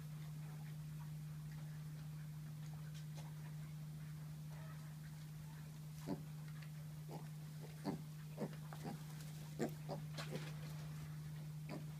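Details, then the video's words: Pet micro pigs from a UK breeder, heard indoors: after six quiet seconds come short, abrupt grunts and snuffles in a loose, irregular series, about one every second or two, over a loud, steady low electrical hum. "Mini pigs"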